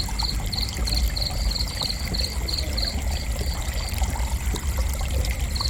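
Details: A cricket's gentle chirping: a quick run of high, clipped pulses about four per second that fades out midway, heard above a heavy, steady low roar of flowing water.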